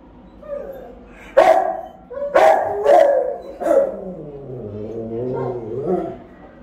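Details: Rottweiler left guarding the house with its owner away, caught by a phone set to record: four sharp barks in quick succession, followed by a lower drawn-out whining howl that slides down and fades.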